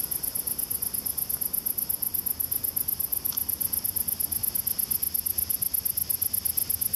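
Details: Many male great green bush-crickets chorus at dusk around 9:30 pm, close by near a waterside: a continuous, very high, sizzling buzz with a steady pulsing texture, over a low outdoor rumble.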